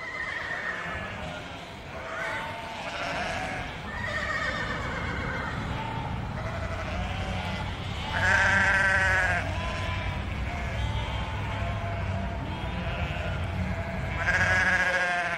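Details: Flock of sheep bleating, long tremulous bleats with a strong vibrato, the loudest near the middle and at the end, over a constant low hum.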